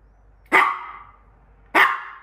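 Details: Maltipoo, a female pet dog, left alone with her favorite treat, gives two sharp, bright barks about a second apart, each fading quickly into a quiet room.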